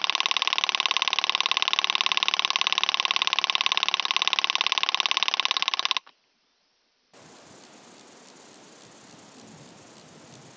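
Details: A wing-buzzing toothed grasshopper (Stenobothrus rubicundulus) at Mala Ucka, Croatia, on 26 July 2023 gives a loud, harsh, rapidly pulsed rattling buzz, then stops.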